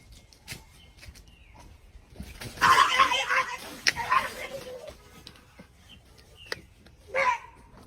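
A dog gives a few odd, strained barks while a person's voice coaxes it.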